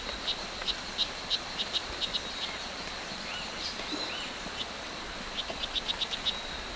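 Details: Strawberry poison dart frog, O. pumilio, in Hitoy Cerere Biological Reserve, Costa Rica, where color varieties abound: short high chirps in loose clusters separated by pauses, set against a steady background hiss of forest insects.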